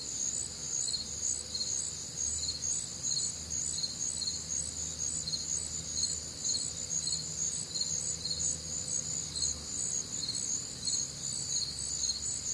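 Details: Warm, humid summer night in the Midwest with crickets: rhythmic high chirps repeat about twice a second in a dense, even chorus, with a faint low droning hum running underneath.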